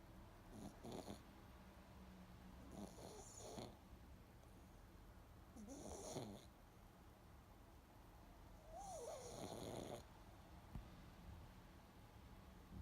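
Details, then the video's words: A pet pug snoring and breathing while it sleeps: soft rough snore bursts about every three seconds with faint whining tones and hissy breaths, quiet room. "Snoring Pug Wants To Help You Sleep"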